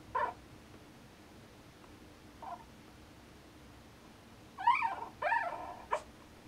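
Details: Newborn Norwegian Elkhound puppies dreaming indoors: brief squeaky whimpers, one short yelp at the start, a faint squeak mid-way, then a cluster of whiny, wavering squeals and a final sharp squeak, set against a quiet, steady room hush.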